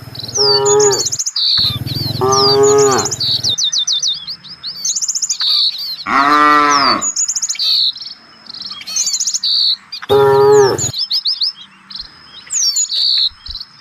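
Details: A herd of village cattle looking for fresh grass moos four times, with long, deep, rising-and-falling calls spaced a few seconds apart, against a steady backdrop of chirping birds and faint insect buzz.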